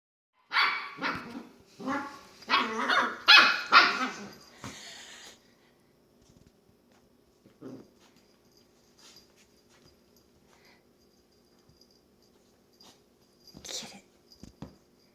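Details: Long-haired dachshund puppy, female, playing by herself in her bed and making funny little noises: a burst of rapid, harsh yips and grumbling barks over the first five seconds, then mostly quiet with a few faint rustles and a short squeak near the end.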